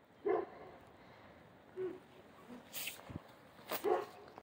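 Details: Central Asian Shepherd Dog puppies giving a few short, high yelps and whimpers spaced through a few seconds, against a quiet background.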